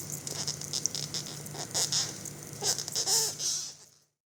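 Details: On its back after being sprayed and falling from a wall, a big beetle with 15 cm antennae breathes loudly in quick rasping, choking hisses that crowd together, then stop abruptly into silence; faint steady hum in the room.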